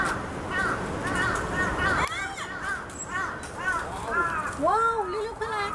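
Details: A black rhinoceros at Tennoji Zoo in Osaka, squeaking for a long time, gives a run of thin, high squeaks ending in a longer wavering squeal.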